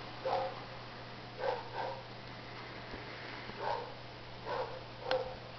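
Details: Two Shih Tzu puppies, Gizmo and Sunny, playing with a Smurf toy; short bright yips and grunting barks come in bursts about once a second, over a steady low hum.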